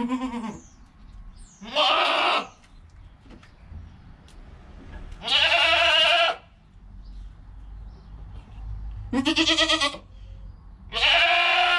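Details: Goat kid filmed within an hour of being born, its mother calm nearby: five loud, wavering bleats spaced a few seconds apart, each harsh and bright, with faint shuffling between.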